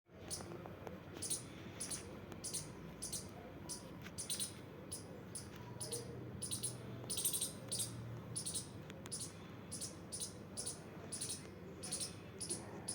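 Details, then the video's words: Playing squirrel giving a steady series of short, very high-pitched squeaks, roughly two to three per second, over a low indoor rumble. "squirrel🐿 playing making sounds"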